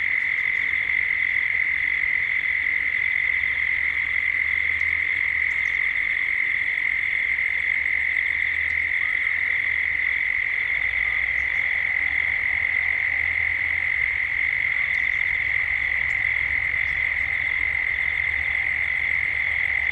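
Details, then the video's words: Gippsland cicadas in Australia droning at dusk, the calling building toward nightfall. A sustained, piercing single-pitched buzz fills the scene. Scattered faint high clicks and a soft low background rumble come and go. "Cicadas at dusk, Australia, Gippsland."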